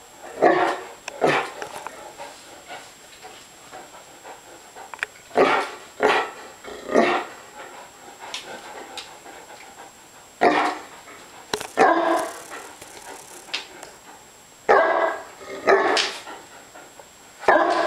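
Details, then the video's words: Hungry dogs barking in short bursts, roughly every second or two, with quieter gaps between, a steady faint tone running throughout. "Hungry dogs"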